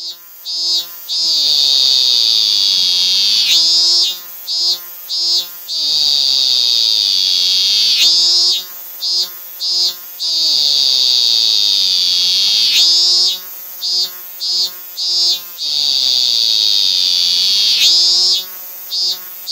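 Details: Robust cicada (Hyalessa maculaticollis) sings on a tree trunk in a small park beside a railway, Kitano, 23 August 2024: a loud, shrill drone breaking into pulsing 'min-min' phrases; its call changes when held in hand.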